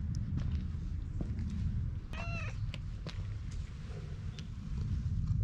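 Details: Stray cat following a lone man, giving a single short meow with clear harmonics that rises then falls, over a steady low rumble with scattered footsteps and ticks before and after.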